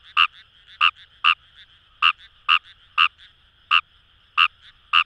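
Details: Fejervarya kawamurai calling in paddy fields along the Kamo River, Itoshima, Fukuoka, Japan: short, sharp croaks with a bright, rasping quality, given irregularly about once every second, over a steady background chorus of other frogs.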